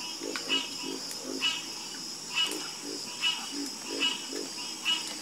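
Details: Chorus of frogs croaking: short low croaks repeated in loose clusters about once a second, with brighter raspy calls layered above and a steady high insect-like hum throughout.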